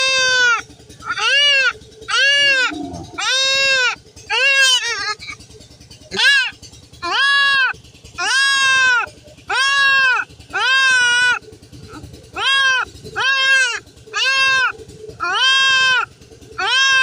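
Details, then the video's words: Goat being castrated, bleating loudly and over and over: strained, nasal, wavering cries about a second long, following one another almost without pause through the whole stretch, with faint background noise between calls. "ছাগল খাসি করানো"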